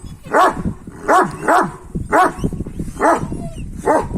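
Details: Kangal male dogs trying to get a female dog: about six sharp, harmonic barks in uneven bursts roughly every half second to one second, with low background rumble between them.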